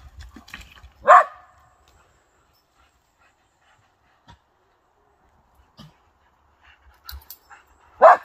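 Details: Whippet, excited and jealous, giving two short, sharp barks seven seconds apart amid faint clicks and small household noises.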